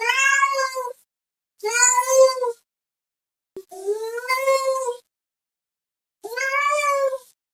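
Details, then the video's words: Meowing cat calling out to another cat, four drawn-out harmonic meows, each nearly a second long, spaced by short quiet pauses. "GATO MIANDO, Som de Gato, Gato miando chamando outro gato"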